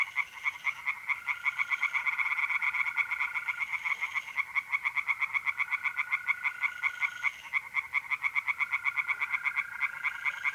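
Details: Tree frogs singing at night in a pond in mid-April, North-East Italy: rapid, regular croaking pulses in a dense chorus, with a steady trilling tone of mole crickets running underneath in long stretches.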